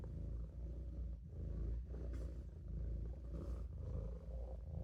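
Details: Low, unbroken purring from Olof, a Maine Coon resting in a sink, its deep buzz pulsing softly in slow waves over the whole stretch.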